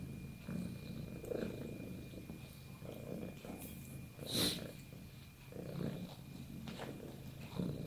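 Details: Domestic cat purring, low rumbling drone pulsing in soft waves, with faint clicks and a brief higher rustle midway.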